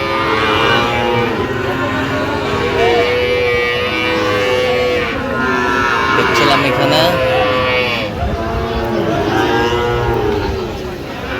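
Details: Sahiwal bull calves, aged eight to nine months, at a cattle market on 3 October 2025; intermittent long moos from several animals under steady crowd talk and brief vehicle noise.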